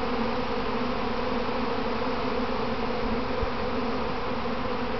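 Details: Mass of kept honey bees in a practice swarm near their hive box, heard from inside the swarm: unbroken steady drone of many wings with a single faint tap partway through.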